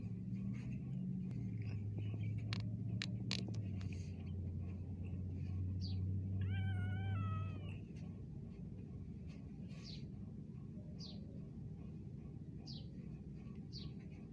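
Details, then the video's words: Domestic cat at Al Rahmanya, recorded handheld on an Android phone, gives one drawn-out harmonic meow lasting over a second and dropping slightly at the end, among a few faint clicks and thin high squeaks over a steady low rumble. "Awesome voice of a lovely cat"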